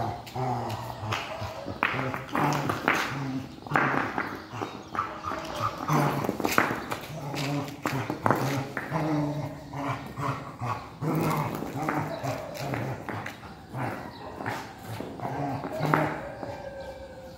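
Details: Rottweiler playing with a stone, giving low, harmonic grumbling vocalizations in short repeated bursts throughout, with people talking in the background and scraping noises.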